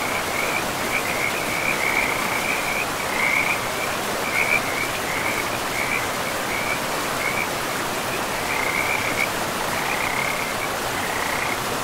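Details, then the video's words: By a river deep in a forest, frogs give repeated bursts of quick rattling croaks, several overlapping, set against a constant hiss of running water. "River and Frogs sleep sounds"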